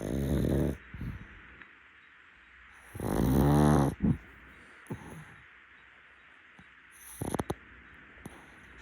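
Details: Rescued pug Muntaro snoring during an afternoon nap on a futon: a loud rasping inhale around one second long, then softer snuffles and brief snorts, with quiet pauses between breaths indoors.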